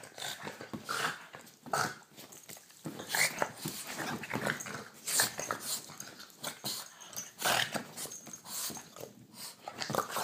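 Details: A Boston terrier gives short, rough growls and snorts in bursts while playfully biting a person's hand, a play routine that happens most nights.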